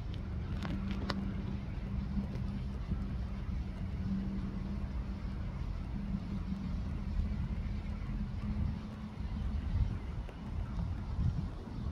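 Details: Steady low traffic rumble and a faint hum, with no animal calls audible. A few brief clicks stand out near the start.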